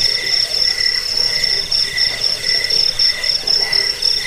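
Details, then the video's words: Recording of crickets meant for scaring away rats, bedtime listening and bird training; piercing high trills in short repeated bursts, several per second, layered over a steady lower pulsed band. "Suara jangkik pengusir tikus pengantar tidur"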